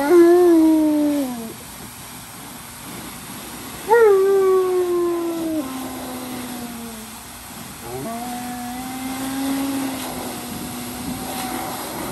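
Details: Tonka, a giant Alaskan Malamute, unhappy and crying like a baby: three long, wavering whines, each starting high with a sharp onset and sliding lower into a sustained moan, about four seconds apart, with faint room noise.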